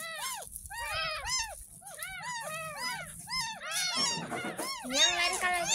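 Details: Ten-day-old kitten found in a gutter outside a house, crying while being bathed for the first time; a rapid series of short, high, arched mews, some overlapping, with a rattling scrub and low voices in the background.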